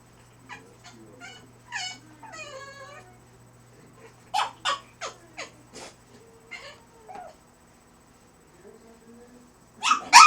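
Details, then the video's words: French Bulldog puppy during crate training making funny human-like noises: short harmonic whines and grunts, then a quick run of four sharp yelps, a drawn-out soft whine, and one loud yelp at the end. "cute french bulldog making funny noises"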